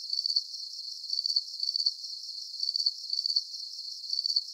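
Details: Cricket sounds for relaxation and sleep at night; bright, thin chirps made of rapid pulses sound in uneven groups with short pauses, all high in pitch, without other noises.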